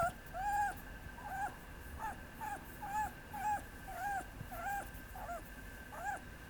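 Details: Papillon puppy whimpering: thin, arching whines repeated roughly twice per second, each rising then falling, over a steady low background hum.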